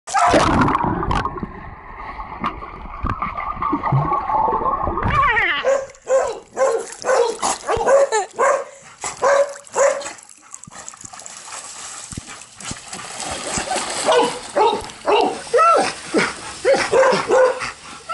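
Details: Dogs, Labrador retrievers and a husky-akita mix, playing in a pool at Green Doggie Home Boarding in Granada Hills, California, give excited short yips and whines. The bursts repeat about twice a second over the noise of splashing water.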